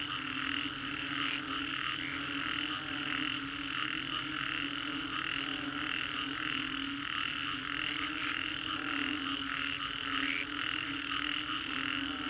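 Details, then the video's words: Frogs in Singapore's Green Corridor calling after a storm, a massed chorus of pulsed croaks repeating steadily with small variations in rhythm, over an even low-pitched drone. "Frogs after Storm, Green Corridor, Singapore"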